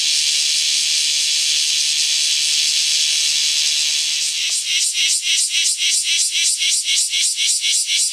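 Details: Kyoto bear cicada calling as rain clears; a steady high sizzle turns at about four seconds into a rhythmic pulsing shawa-shawa, nearly four beats per second, over a continuous chorus.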